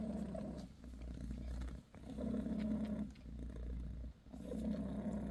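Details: British shorthair mother Bassy purring with her kittens while licking them. Low buzzing purr swells in three regular bursts separated by quick breath pauses, with a faint steady hum behind.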